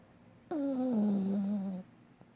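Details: A dreaming, snoring dog lets out one long groaning whine, starting slightly higher and sliding down to a steady low hum for over a second before cutting off; a faint tick follows in the quiet.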